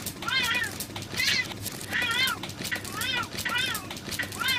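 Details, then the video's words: Fierce fight between two female cats: rapid back-and-forth moaning yowls, arched and quavering, coming in quick succession with barely a pause between them. "Fuerte pelea de gatas"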